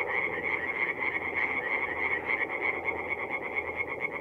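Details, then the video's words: Chorus of tree frogs at a forest pond on an April night in north-east Italy. Many overlapping rapid croaks blend into a thick, churning wall of sound with broad background noise. "relaxing forest pond by night with singing tree frogs"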